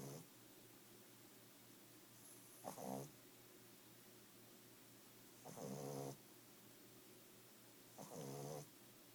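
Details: A 5-month-old Boston Terrier snores in short, rattling bursts, each breath roughly three seconds apart.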